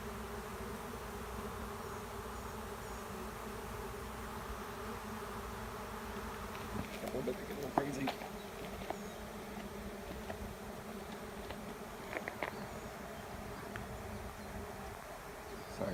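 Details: Swarm of honey bees settling into an empty hive in a driveway; constant deep droning hum of many bees, with a few brief clicks and knocks and a faint voice in the background.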